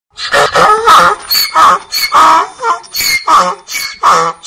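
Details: Donkey braying in a steady run of harsh, harmonic pulses, each about half a second long, alternating rasping tones roughly three every two seconds with short breaths between.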